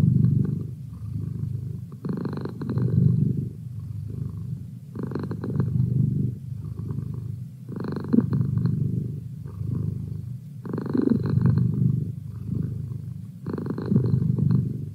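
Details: Pet cat producing a steady, deep purr that throbs in breath-timed waves about every three seconds, soft rumbling filling the gaps between stronger pulses.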